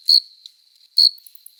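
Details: Adult male cricket singing in courtship on a summer night, wings rubbed together: two bright, short chirps about a second apart, with a thin continuous tone between them.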